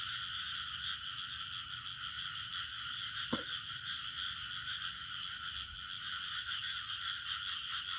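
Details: In a village setting with frogs and birds, crickets keep up a steady, shimmering chorus of trills without pause through a warm night.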